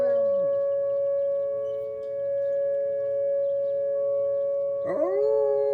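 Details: Wolves at home on a deck after snow on a Monday morning, chattier than usual: steady overlapping howled tones held throughout, a short falling glide at the start and a sharp rising swoop near the end.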